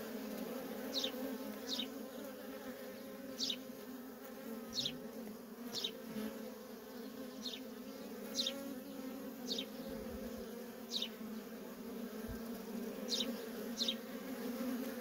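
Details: Feral honey bee colony with workers coming and going nonstop; dense unbroken drone and overtone, with quick high downward chirps scattered irregularly and a couple of faint low thumps.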